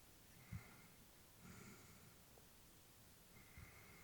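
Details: Elderly female Labrador dozing indoors, giving a brief sharp snort followed by quieter airy breaths and a faint sniff, otherwise a hushed room.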